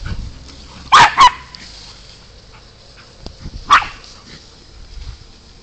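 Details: Golden Retriever puppy playing with her sister, a West Highland White Terrier: two sharp high barks in quick succession near one second, then a single bark nearly three seconds later, with quiet scuffling between.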